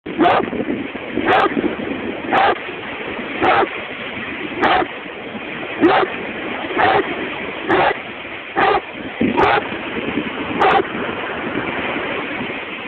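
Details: Tyras, a dog at the beach, barking in short sharp bursts about once a second, eleven barks in a fairly steady run, over a constant broadband rush of surf or wind.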